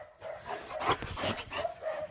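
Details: Excited German Shepherd Major, energised after a walk, playing at a lake. A quick burst of sharp yips and short barks, loud and close, with some water noise.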